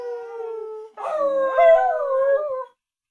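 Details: Howling from Lilli, an Australian Kelpie taught to howl: a steady even tone, then a louder rising wail that wavers and tails off, in a quiet indoor setting.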